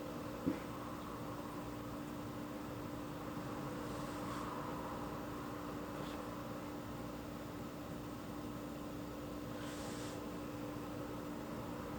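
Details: Quiet indoor hiss with a steady electrical hum and one soft click near the start, with no animal calls.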